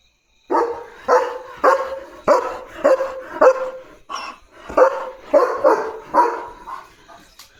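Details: Male pet German Shepherd on early-morning barking duty, barking loudly at a dog seen outside: about ten deep, forceful barks in steady runs roughly every half second, one short pause midway, little background noise.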